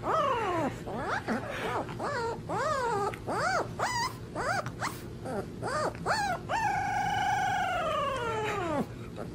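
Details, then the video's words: Puppy learning to howl: a run of short, rising-and-falling yelping whimpers repeated roughly twice a second, ending in one longer sustained wavering howl that slowly drops in pitch, over a steady low background hum. "Puppies Learning to Howl"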